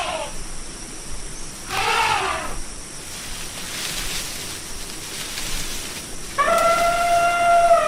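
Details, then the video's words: Elephant calls: a brief arched note, then a louder rough burst. A long, steady, whistle-like trumpet with strong clear harmonics closes the sequence, all over faint background hiss. "SOM DE ELEFANTE: O Barulho Real do Maior Animal Terrestre do Mundo"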